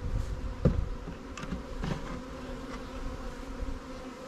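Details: Short burst of honey bee hive hum from a new swarm colony during a beekeeping inspection; dense low buzzing with handling knocks and taps over the first two seconds, then settling.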